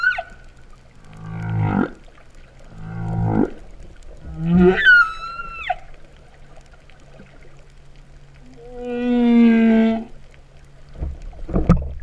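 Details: Cow-like humpback whale song heard underwater at Vava'u, Kingdom of Tonga, in September 2015. A whistle, two low buzzy pulsed groans, then a rising whoop ending in a high tone, and later a long steady moan, with short pauses between units.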